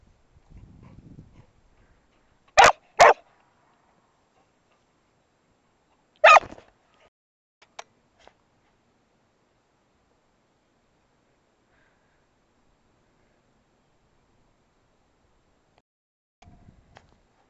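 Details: A dog on round hay bales, October 2007: a quick double bark, a single bark a few seconds later, then long quiet with faint rustling at the start and end.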